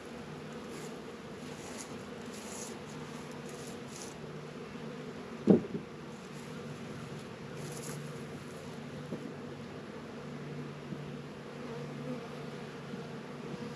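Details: Honey bees at work by Warre and Langstroth hives in a northern Kentucky apiary, unusually warm 72 degrees in February: a continuous low humming drone, interrupted once by a sharp click or knock.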